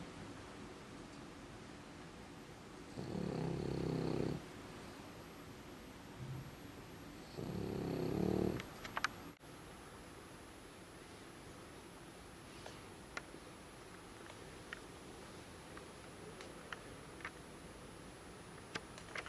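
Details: Deep in exhausted sleep, the dog Umekichi gives two long, grating snores about four seconds apart. Quiet breathing and scattered small clicks and taps follow in a small indoor room.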